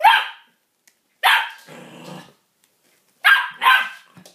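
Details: Pet dog indoors barking at a new toy, four sharp loud barks in two pairs with a low rough growl between them, short silences around each.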